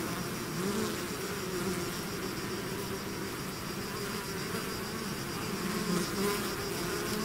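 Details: Swarming bees pouring out of a hive, heard as a thick steady buzz with low humming tones and shifting higher whines from nearby fliers, no pauses, other sounds absent.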